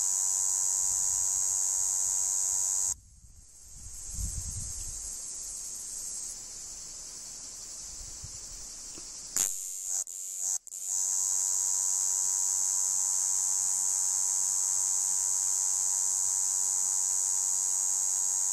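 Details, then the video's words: A male red cicada (Tibicen haematodes) singing on a tree trunk gives a loud, steady, high-pitched buzzing drone that breaks off and restarts. "Cicadidae Tibicen haematodes ou Cigale rouge mÉle 2"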